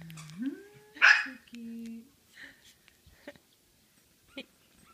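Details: Five-day-old male red liver Shih Tzu puppy, indoors, giving a short rising whine and a squeak, followed by a woman speaking softly nearby.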